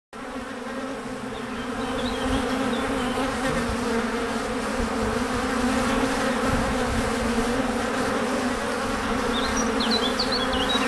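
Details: Honey bees flying back to their hive after gathering nectar and pollen, a loud, steady, deafening hum with strong low droning bands that swell over the first two seconds, plus faint high bird chirps near the start and end.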